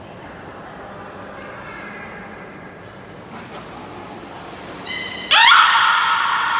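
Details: Beluga Nana during a training session at Port of Nagoya Public Aquarium, 18 May 2019: two steady, very high whistle tones, then a short harmonic buzzy note bursting into a loud, noisy squealing call over a hall-like background.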